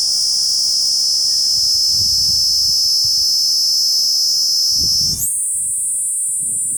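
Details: Okinawa's Kuroiwa cicada, an island endemic and the earliest forest cicada of the year, announcing the approaching rainy season with an unbroken piercing high buzz that abruptly jumps higher near the end as the low background falls silent.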